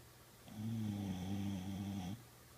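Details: Boxer dog snoring during a peaceful afternoon nap indoors: one long, low, rumbling snore with a steady harmonic drone lasting about a second and a half, then quiet.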